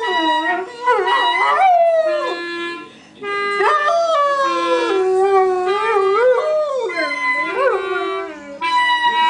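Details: Ten-year-old Rhodesian Ridgeback singing along to clarinet playing, its wavering howls bending up and down in pitch, sometimes yipping, interleaved with the clarinet's steady, stepwise sustained notes and a short pause midway.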